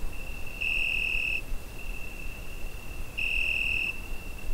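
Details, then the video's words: A cricket singing at night in summer, Zoom H5 recording: one sustained piercing tone throughout, broken by two stronger, harsher bursts close to a second long, spaced about two and a half seconds apart, against quiet low rumble. "Summer Night Cricket Sound Effect"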